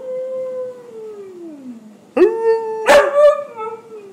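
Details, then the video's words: A Siberian Husky "talking" to its owner about his day: drawn-out, wavering howls that slide downward, then rise again with a sharp yelping break. "Howling Husky"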